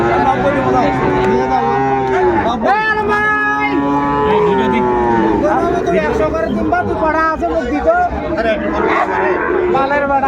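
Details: Several Sahiwal bull calves lowing at the busy Ambari cattle market, Faridpur, 29 April 2024: overlapping moos, some long and flat, others bending up and down, coming every few seconds over a constant murmur of people talking.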